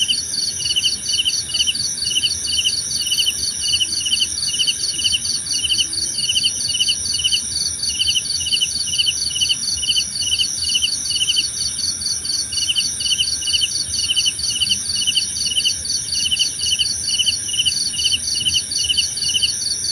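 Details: Steady chorus of crickets presented for relaxation and sleep: rapid pulsed chirps repeated about twice a second, several callers overlapping in continuous high trills over a faint hiss, nothing else audible.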